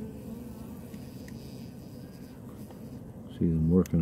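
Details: Honey bee colony on 21 February 2018, a thick fondant patty laid directly on top of the frames of the second super while bees place propolis at the join between supers; steady low droning hum throughout, a brief human voice near the end.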